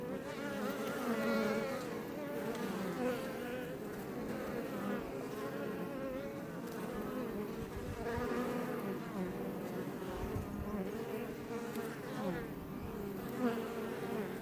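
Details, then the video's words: Many Iberian honey bees buzzing outside their Langstroth hive west of Roquetes in Catalonia, Spain, close to Els Ports National Park; constant humming swarm drone with shifting overlapping tones and brief swells as bees pass. "Bees Healing Sound Effect HD - Up Close"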